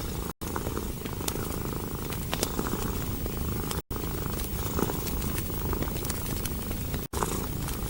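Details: Domestic cat curled up near a fire, purring in an even low rumble alongside crackling logs, the sound cut by three brief silent gaps.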